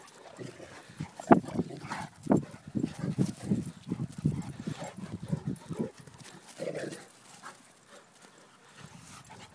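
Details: Two dogs, a solid grey 17-month-old Cane Corso of 118 lbs and a salt-and-pepper 8-month-old miniature schnauzer of 16 lbs, playing and chasing; rough low grunting growls in quick uneven bursts, fading to quieter huffs, a man's voice nearby.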